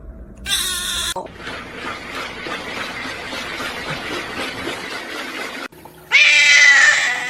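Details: Domestic cat named Spicy, awaiting adoption and being photographed for it, gives a short meow, then a steady hissing rush of noise, then a longer meow sliding downward at the end, while a woman talks to it.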